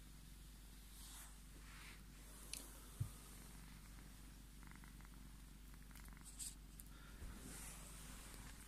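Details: Scottish Fold cat Tommy purring while demanding his cuddles, a steady low rumbling drone held throughout, with a few soft clicks and light rustles above it.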